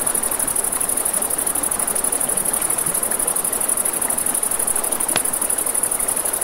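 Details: High, even cricket trilling at night by a river, steady and finely pulsed, beneath which river water rushes; a single sharp campfire pop stands out near the end.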